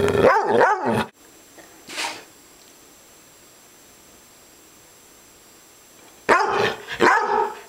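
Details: Upset dog: a loud burst of harsh, rough growling barks in the first second, a brief softer bark near two seconds, a long quiet stretch, then two more rough growling bursts near the end.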